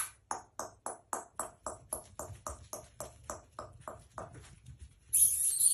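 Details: Miniature dachshund giving a rapid run of short, sharp barks, about four every second in an even rhythm that fades toward the end, then cut off by a sudden burst of hiss.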